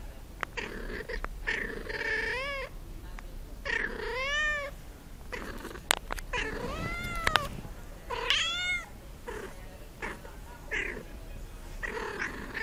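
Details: Kitten meowing repeatedly, short rising-falling meows, some overlapping, amid clicks, rustling and handling noise.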